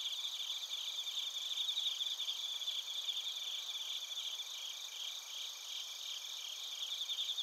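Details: Chorus of crickets and bell crickets recorded in Narita, Chiba, Japan, using a TASCAM Portacapture X8; continuous shrill, shimmering insect chirping with quick irregular pulses and steady high whining tones, evenly loud throughout.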